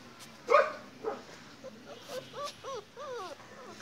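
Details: Great Dane puppy giving two short, loud yips, then a quicker run of soft whimpers, each note arching up and then down in pitch, about six in under two seconds, over a quiet background.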